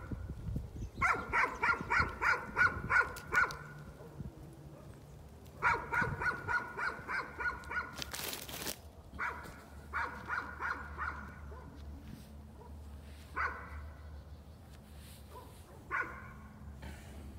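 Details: Dog keeps up nuisance barking in quick volleys of sharp barks, several bursts with gaps between, a loud thump near the middle, and fainter barking trailing off outdoors.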